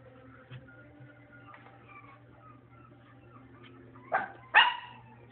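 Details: Dog making faint whining, whimpering tones over a low background hum, then two sudden loud barks close together near the end.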